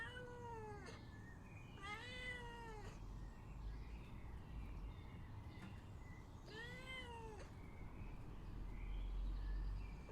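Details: Domestic cat meowing to be let out: three long, drawn-out, whiny meows, each rising then falling in pitch, spaced several seconds apart, with softer mewing between them over a steady low background hum.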